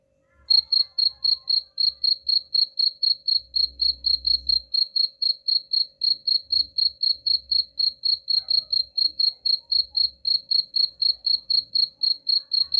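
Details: Continuous high-pitched cricket chirping, meant to repel rats, pulsing steadily about four times a second for the whole stretch, with soft low thumps and rumbles behind it.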